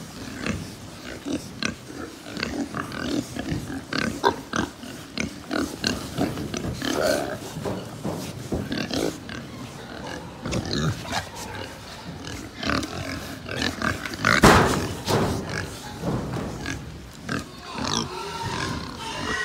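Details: Pigs crowded in a Japanese pig farm give a steady stream of rough, short grunts, a sharp squeal standing out near the middle, constant pen clatter underneath.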